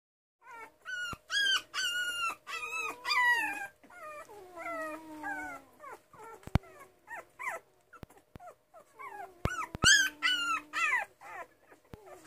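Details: Miniature Schnauzer puppies, two and a half weeks old, whimpering: a busy run of high, whistled, wavering whines from several pups, some rising and falling, in bursts with short pauses and occasional faint clicks.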